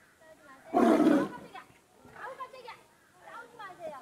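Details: Tiger at Everland zoo roaring in anger at its keeper after being beaten by its older brother; one loud, brief, rough roar lasting about half a second, followed by people talking.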